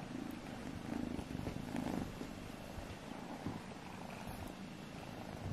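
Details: Kittens Alfonso and Amur play-fighting at home: a soft, low rumbling purr pulsing steadily throughout, over faint room noise.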